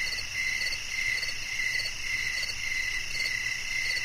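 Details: Cricket chirping in a steady nighttime-style chorus: high, bright pulsed notes repeated about twice a second, with fainter overtones above and a soft continuous hiss beneath.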